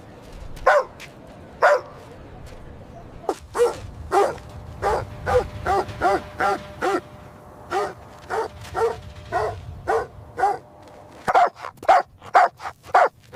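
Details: Puppies at play on green grass, barking joyfully while running and play-fighting; a long run of sharp, evenly spaced barks, roughly two per second, with brief pauses and a low background rumble.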